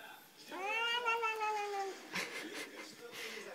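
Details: Bengal cat indoors giving one long drawn-out meow of about a second and a half, harmonic-rich, first rising then slowly falling, followed by soft rustling and small knocks in a small room.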